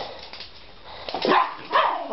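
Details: Two pet Schipperkes, Nikki and Justice, romping with a plastic bottle during playtime; two short, tonal yelping bursts rise out of the background near the end, over faint rustling and scuffling.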